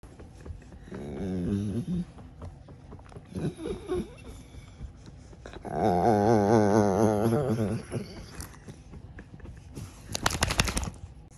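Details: Puddy, a rescued dog, making funny noises while his ears are scratched: two drawn-out, wavering, groaning moans, the second longer and louder, then a brief rustling burst at the end.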